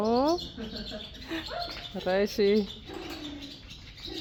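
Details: Friesian horses Blomke and Belle running wild give a short rising whinny at the start, then two loud tremulous, quavering neigh bursts in quick succession, with faint voices behind.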